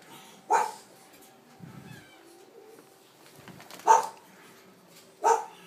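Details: Cream male French Bulldog puppy, one of three littermates born 12.4.23: a high yip, a soft low grumble, then two more sharp puppy barks spaced over several seconds in a quiet indoor setting.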